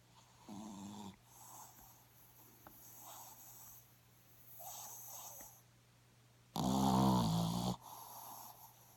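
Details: Dog named Snoopy snoring while sound asleep: a few soft, low snorting breaths spaced a couple of seconds apart, then one loud, rough, rumbling snore near the end, over a faint steady low hum.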